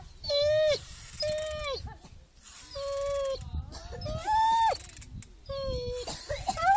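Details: Dog whimpering in short, repeated tonal whines of a second or less, some falling and some rising, separated by brief pauses, with faint low background noise.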